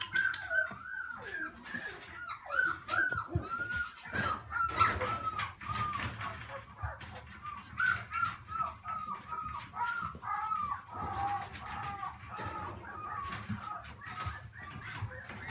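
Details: Shetland Sheepdog puppy, a cheerful toy-loving pup at play, giving a long run of high, wavering whines and squeaky whimpers, some sliding up and down, broken by short yips, with thumps and rustles of handling and toys.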